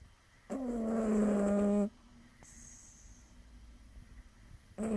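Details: Sleeping seven-month-old kitten weighing six pounds snoring: one steady, tonal, buzzy snore lasting about a second and a half, then quiet, with the next snore starting at the end.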